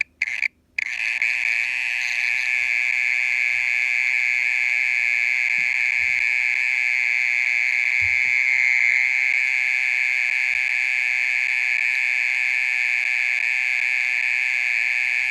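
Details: Mole cricket (okera) calling at night, part of a song that goes on for over half an hour: a steady, unbroken high-pitched trill after a brief silence near the start, with faint low rumbles underneath.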